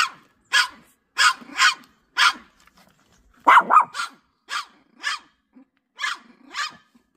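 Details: House dog barking in reaction to an unleashed golden retriever passing in front of its home: about a dozen sharp, loud barks, some doubled, in an irregular run with short pauses.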